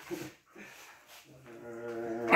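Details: A Siberian Husky gives a drawn-out, steady-pitched whining call with rich overtones that swells louder toward the end, following a few short, rough vocal bursts.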